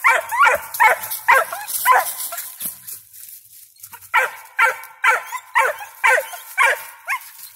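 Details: Squirrel dog Ranger, five months old, with a squirrel up a tree, loud ringing barks repeated roughly twice per second in two runs separated by a short lull.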